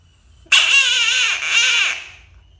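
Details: Frog letting out a loud, harsh, wavering scream of about one and a half seconds in two swelling parts, the pitch dipping and rising, then fading away in a quiet room.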